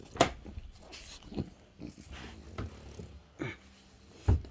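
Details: Bob, a French Bulldog, indoors in a home office with his owner, makes a series of short, sharp snorting bursts spaced across a few seconds, with soft huffs and light knocks in between.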